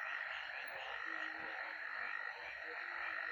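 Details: A dense chorus of frogs or toads calls in darkness around 5:30–6 a.m. in a garden in western Uganda, croaking calls overlapping into a steady, rattling wall of sound, with distant prayer call.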